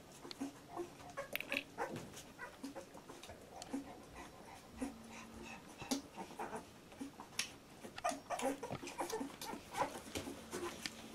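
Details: Two-week-old Labrador Retriever puppies in a litter: a longer drawn-out whine and repeated brief squeaks, mixed with clicks, shuffling and rustling sounds.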